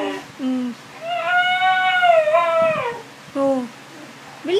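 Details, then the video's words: Indoor Siberian Husky howling in a small room: a long, smooth tonal wail held steady then falling, with shorter howl fragments before and after, amid a person's voice calling "Awo" and talking. "Siberian Husky Howling"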